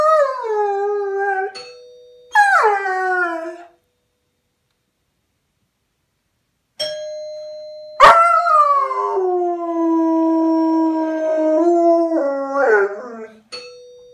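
A German Shepherd howls in long, wavering, falling notes, set off by the ring of a doorbell.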